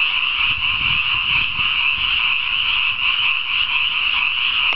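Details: Frogs calling together after dark in a newly flooded rice paddy, producing a thick, steady chorus of shrill rattling croaks with a faint low rumble underneath.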